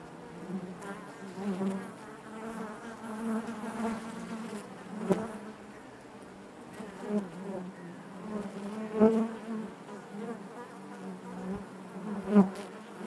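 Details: Honey bees buzzing naturally inside their hive: a steady low hum with a strong drone and stacked overtones, swelling and fading in soft waves, with occasional brief clicks and bumps as bees move close.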